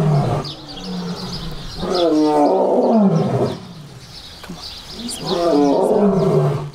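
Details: Lions at a zoo give deep, rumbling roars in rough bursts a couple of seconds apart.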